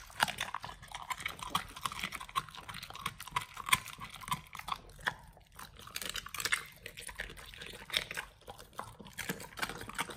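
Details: Pit Bulls eating a raw food combo of beef trimmed chunk, quail egg and duck wing: wet, crunchy chewing and biting, rapid irregular clicks and squelches indoors.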